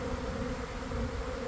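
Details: Honey bee swarm near a garden fence, moving toward a beekeeper's hive scented with swarm pheromone after cold, damp days; a continuous massed hum holding two steady pitches, low and octave above, over light wind rumble.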